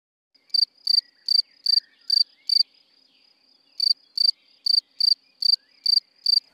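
A cricket chirps in short, evenly spaced pulses of a high, pure trill, with a brief pause mid-way.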